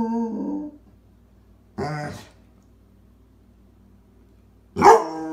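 A Basset Hound gives three short, deep, mournful baying cries, spaced about two seconds apart.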